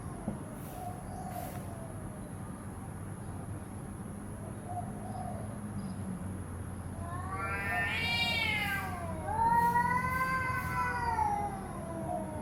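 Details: Domestic cat giving two rising-then-falling meows late on, the first sharp and brief around eight seconds, the second longer and wavering, after a stretch of low hum and faint background noise.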